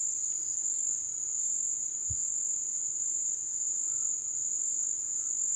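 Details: Crickets at the ebb season, recorded in the wild: a steady, unbroken high-pitched trill holds one even band throughout, with a faint low thump near the middle and soft background hiss.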